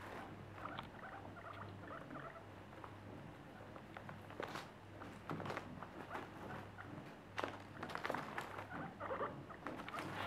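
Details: Happy pet guinea pigs named Terttu, Kerttu, Mitzee and Lydia; short soft squeaks and chirps come in scattered bursts over busy rustling and pattering movement, with a steady low hum underneath.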